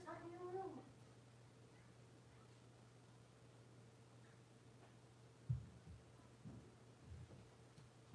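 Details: Six-week-old blenheim Cavalier King Charles Spaniel puppies, a litter of five born to Paris and Spike, in an indoor puppy pen; one brief, high, wavering whimper at the start, then a quiet room with steady electrical hum and a few soft thumps.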